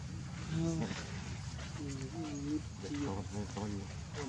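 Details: Baby monkey named Leo, hungry and crying to beg its mother for milk; short wavering tonal cries come in a rapid series, some rising then falling, over a steady low rumble.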